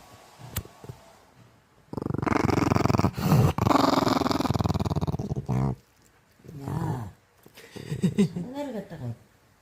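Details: Maltese named Chorong, an 11-year-old female dog weighing 7.8 kg, indoors at home: a long rough pulsed grumbling growl of about three and a half seconds, then shorter grunts and whining tones, with some human speech.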